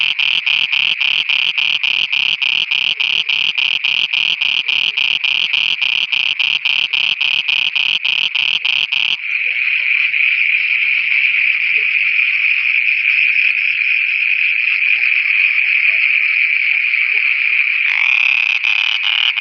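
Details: Night chorus of frogs in Pakistan, a fast, even train of harsh pulsed notes for nine seconds that merges into a steady continuous buzzy drone, and the separate pulses return at the very end.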